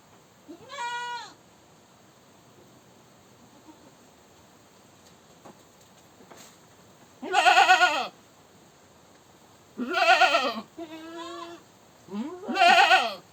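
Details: Goat screaming: loud, harsh, arched bleats with rich stacked harmonics, each under a second, one quiet bleat early then three loud ones spaced a few seconds apart, with a shorter lower cry between the last two; otherwise quiet.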